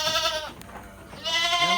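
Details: Fattened goats in a farm pen in Lhokseumawe, Aceh, Indonesia: one loud, trembling bleat cuts off, a short pause with a click follows, then a second bleat, similar and harsh, begins.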